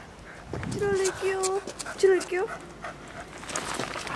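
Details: Kotaro the corgi and Chirol the toy poodle romping in snow: short, level whining yelps in three or four bursts, mixed with Japanese speech and outdoor hiss.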